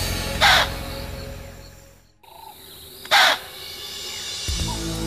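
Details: Two sudden, rasping snort-barks from an impala, roughly three seconds apart: an alarm call warning a herd of about 35 that a leopard may be stalking nearby. Soft background music plays underneath.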